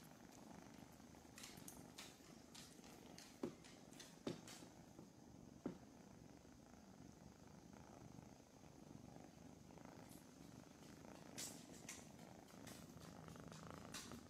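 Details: Foster kittens purring during morning lap and petting time indoors, with small dogs nearby in the kitten room; a steady low rumbling purr runs throughout, broken by a few brief clicks and soft rustles.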